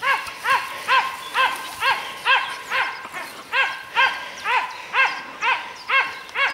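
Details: Dachshunds barking while working a wild boar during a hunt; regular, harmonic barks repeated about twice a second, a steady rhythmic chorus with a few faint voices in the background.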